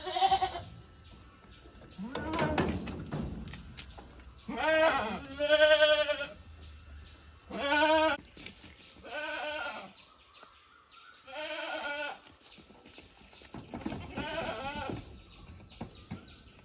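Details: Domestic goats, kept animals, bleating repeatedly: a series of wavering, harmonic-rich bleats about a second long, several overlapping voices at irregular intervals, with a brief human voice early on and quiet pauses between calls.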